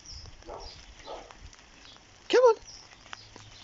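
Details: Vizsla dog that does not like rain gives a single brief, sharp whining yelp with a bent, falling pitch, amid faint soft background sounds and light taps.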